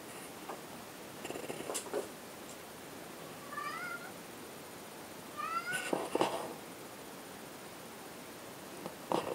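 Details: Domestic cat indoors giving two short meows, about two seconds apart, each a bright, rising and then falling tone, with scattered clattering and rustling knocks before, between and after.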